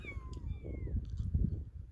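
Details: Kitten that has lost its mother gives a single high, thin meow that slides steadily downward for about a second, over a steady low rumble and faint background knocks.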